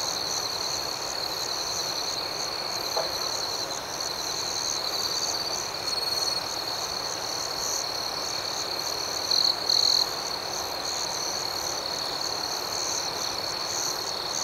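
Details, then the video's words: Crickets at night, a nocturnal chorus of gentle chirping: a continuous high, ringing trill with a pulsing upper layer throughout, and a few brief louder chirp bursts around nine to ten seconds. No other sounds stand out. "Soothing Cricket Sounds"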